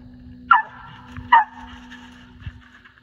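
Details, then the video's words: Squirrel dog barking while treeing squirrels during a hunt near the Tensaw River; two sharp loud barks about a second apart, then a faint third, over a steady low engine-like hum. "Tensaw River Squirrel Dogs"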